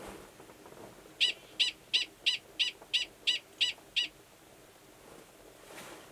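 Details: Mating call of a male Gunnison's prairie dog before he goes below to copulate with an estrous female, Valles Caldera National Preserve, New Mexico, March. Nine evenly spaced, sharp, high-pitched barks about three per second.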